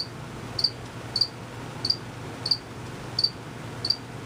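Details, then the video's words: Hidden crickets keep up a regular chirping; six bright, high, clipped chirps arrive roughly every two-thirds of a second against a soft low-pitched background hum. "Cricket Chirping for 5 minutes."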